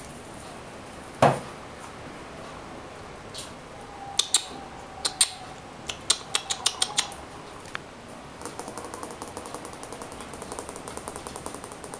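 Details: Metallic clinks and clatter indoors, one sharp knock then bursts of rapid ticking, with no animal voice heard.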